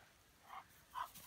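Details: A working Weimaraner gives two brief, fairly soft barks about half a second apart, each a short muffled burst, with only a faint background hiss between.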